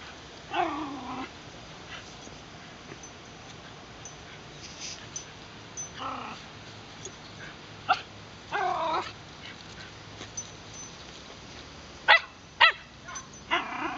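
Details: Wire Fox Terriers Muu and Moa at Shinjuku Central Park, recorded on a LUMIX FT1: about six drawn-out, harmonic whining yelps, some rising and others falling, spaced irregularly over steady low outdoor background noise.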